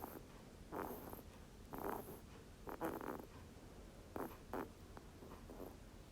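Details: Rabbit snoring, clearly recorded. Soft, breathy, rasping snores come in short bursts, often in pairs, at an uneven pace of roughly one per second over a quiet hiss.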